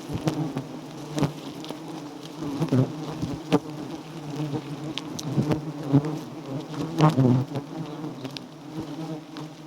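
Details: Giant honey bees at a small wild nest being harvested for honey, a dense steady low buzzing hum with layered drones, broken by sharp clicks and taps and brief louder surges near the end.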